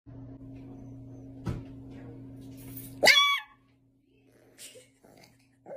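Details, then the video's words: A rescued special needs dog whose condition makes its bark sound like yelling. It gives one loud, harsh, scream-like bark about three seconds in, rich in ringing overtones. A steady low hum and a few softer sounds surround it. "Special needs dog literally screams when it barks"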